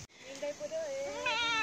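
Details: A pregnant goat in the Philippines, about to give birth to her first kid, crying out; a drawn, wavering bleat that rises and shakes toward the end, with a person talking nearby.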